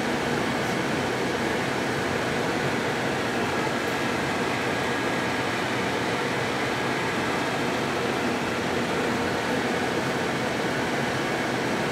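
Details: Steady, even broadband hum like an air conditioner or fan runs throughout, with no other distinct sounds.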